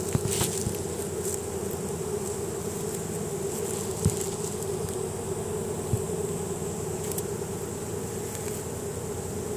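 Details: Swarm of honey bees streaming into a new home, guided by Nasanov pheromone released at the entrance; a dense, even hum sustains across the whole recording, with occasional brief ticks and a faint low rumble beneath.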